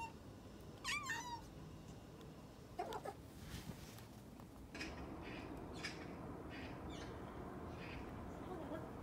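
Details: Maine Coon making a strange turkey-like gobbling noise, as it does when excited or a bit confused; a quick wavering, warbling chirp early on, then soft rustling and faint thumps in a quiet room.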